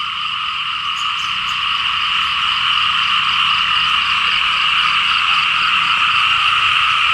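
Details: Dense chorus of many frogs calling in rain-soaked rice fields in Laos, a continuous loud wall of rapid croaking with two steady bands, pulsing roughly four times per second, unbroken throughout.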